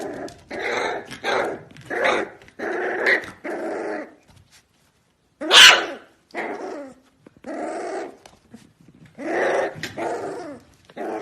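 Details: Corgi dog barking and growling indoors in a string of rough, broadband bursts, about a dozen in eleven seconds, with a short pause midway and one sharp louder yap.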